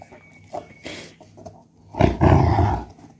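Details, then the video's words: German Shepherd in an angry mood, growling because it is not allowed to eat a coconut shell; faint low noises lead into a loud, rough, rumbling growl lasting under a second near the end. "German Shepherd Angry mood"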